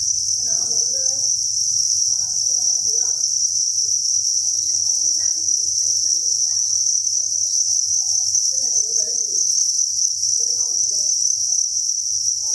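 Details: Crickets at a breeding facility, thousands calling at once, make a steady piercing high-pitched trill without gaps, while soft scattered murmurs and a low hum sit beneath the chorus.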